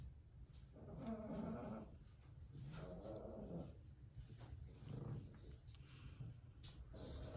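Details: Toy Poodle named An growling while being brushed indoors; low, rumbling growls rise and fall in several drawn-out bursts roughly every one to two seconds, in a quiet small room.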